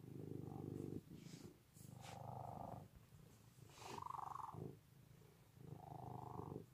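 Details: Relaxed house cat purring, a low, rattling hum that surges and eases with breathing, four strong swells across the passage, with faint soft clicks between them.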